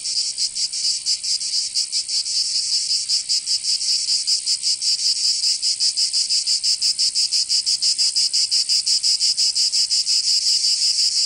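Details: Chorus of cicadas in summer, Provence, southern France: a piercing high buzz pulsing quickly, rather uneven at first, then growing louder and steadier in the second half.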